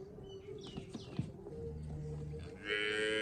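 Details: Cholistani Friesian cross cow in Pakistan gives a low, steady moo lasting under a second, then a brighter, higher-pitched call that carries to the end, over faint background noise.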